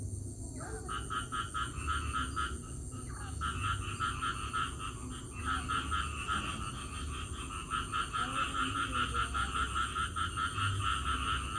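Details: Frog chorus after it rains: long, dense runs of rapid, rattling pulsed calls that go on almost without a break, pausing briefly now and then, with a steady high hiss and low rumble behind.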